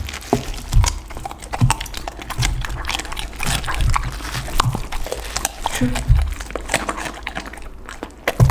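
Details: Lunchtime for a pit bull dog tearing into raw chicken, duck and cauliflower, heard as rhythmic crunches and low thumps roughly every second, with a close, small-room feel.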